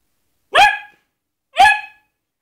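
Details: A Basset Hound named in a playful "killer instinct" clip gives two loud, ringing barks about a second apart, each dropping slightly in pitch, while trying to scare a glove.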